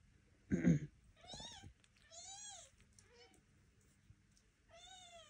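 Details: Young Devon Rex kittens learning to walk indoors under their mother's eye; a soft thump, then several thin, rising-and-falling mews spaced about a second apart in a quiet room.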